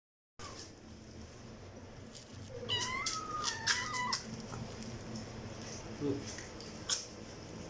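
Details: Domestic cat meowing loudly indoors: a run of high, wavering meows with bright harmonics around the middle, one jumping up and down in pitch, amid sharp clicks and taps and a low room hum.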